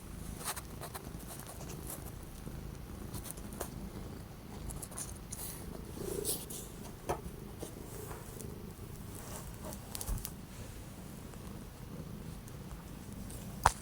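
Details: Orange domestic cat kept indoors on 12 January 2025 after days of strong wind and cold weather, purring in a steady low rumble throughout, with a few soft clicks and taps over the top.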